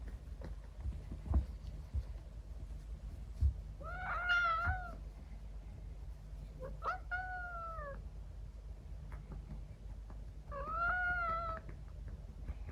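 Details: Female Scottish Fold and Persian mix kitten, born November 2022, meowing indoors at bedtime while being patted on the bottom: three drawn-out, arched, tonal meows spaced a few seconds apart, with faint soft tapping in between.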